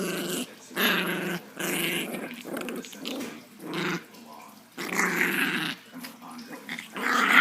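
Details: A female Chihuahua growls angrily during play, a run of rough, buzzy grumbling bursts about half a second to a second long, broken by brief pauses, indoors.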